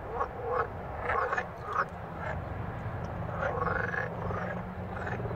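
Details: Several green frogs croaking, captured handheld on a Samsung Galaxy S6 Edge smartphone; short rasping croaks repeat about every half second in loose overlapping bursts over a low background rumble.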